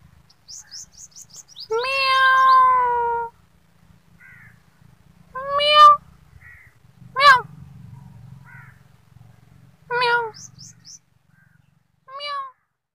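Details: Kittens calling: a long loud meow, then several short sharp meows spaced a second or two apart, mixed with faint high chirps and squeaks between them, on a clean quiet background.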